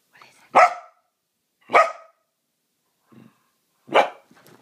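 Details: Corgi barking when its owner gets home from work, super excited; three loud sharp barks about a second apart, with a softer low grunt between them.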